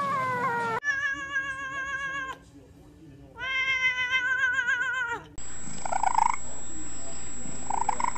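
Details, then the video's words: Domestic cat caterwauling in drawn-out, tonal howls with a slight quaver, broken by short silences and abrupt cuts between separate recordings with different background hiss. "Weird Cat Noises"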